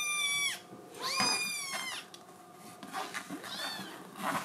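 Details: ['Indoors, a female Scottish Fold kitten with a blue tabby coat cries to go outside: two loud drawn-out meows at the start, then softer, shorter mews and faint rustling.']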